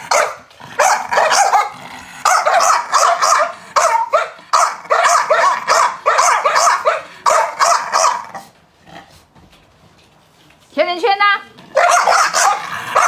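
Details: Chow Chow dog giving long runs of harsh, quick barks, then a quiet gap of about two seconds. A short whining, wavering squeal follows before the barking resumes.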